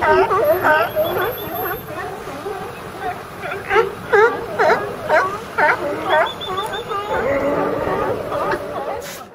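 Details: California sea lions piled together calling: a run of harsh, honking barks repeated about twice a second, several voices overlapping, then a rougher drawn-out growling stretch near the end.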